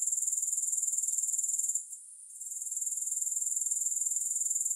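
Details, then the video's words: Thin, high grasshopper buzzing, without music, pulses rapidly and regularly. It breaks off briefly in the middle for a short hush, then swells back to the same even shrill rhythm. "Grass Hopper Sounds"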